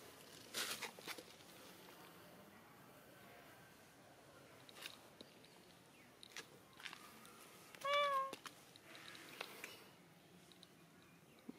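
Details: Cats playing in the sun. A single short, clear meow with a slight upward bend comes near the eighth second. Soft clicks, taps and rustles fill an otherwise quiet space. A person speaks softly afterward.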